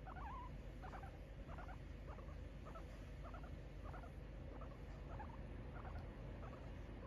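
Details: A domestic guinea pig, Kiibow, stretching and relaxing at home on 4 January 2022, utters evenly spaced soft chirping notes about twice per second, opening with a short wavering tone, against faint room hum.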